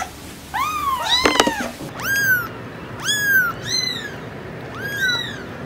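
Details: Kitten meows, clear arched mews repeated about once a second after a brief clatter, each call bright and falling at the end.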